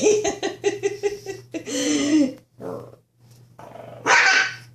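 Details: Teacup Shih Tzu at play, attacking a blanket: a quick run of about six short, high yaps, then a drawn-out whiny growling note, a brief rough burst after a pause, and a final harsh outburst over a steady low hum.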